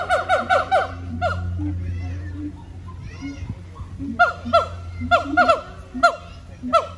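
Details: Siamang gibbons at the Honolulu Zoo, Oahu, Hawaii, on September 15, 2022: bursts of loud, rapidly repeated whooping notes with sweeping harmonics, a quick run at the start and another series later, with visitors talking and laughing in the background.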